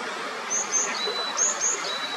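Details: Kajika frogs along the clear mountain stream of the upper Natori River, Sendai, Japan, giving a few short, high, sliding whistled notes in two quick pairs against constant babbling water.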